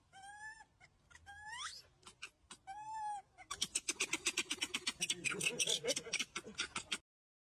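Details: Barbary macaque calls: several short, rising whimpered notes, then a fast, harsh pulsed chatter repeated roughly three times a second for about three seconds.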